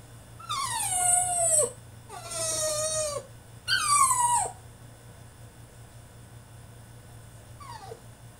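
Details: French Bulldog throwing a tantrum in his cage: three long, loud whining howls, each sliding down in pitch, in quick succession, then a short faint whine after a pause, low hum underneath.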